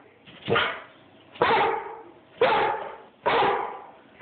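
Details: An Airedale called Bruno barks at the person recording on an Android phone; single gruff barks repeat about once a second, evenly spaced, with quiet between each.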